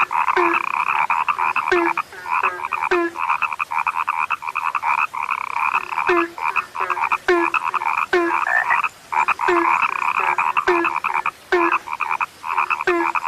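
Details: Rare frog croaking, several callers overlapping in a steady, harsh chorus, sustained buzzy croaks interrupted by sharp clicks and short gaps at an irregular, fast pace.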